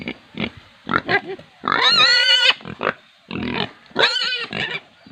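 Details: Farm pigs in India squeal loudly, long strained screams with a clear tonal edge alternating with shorter rough grunts and squeaks, bursts following each other closely with little pause.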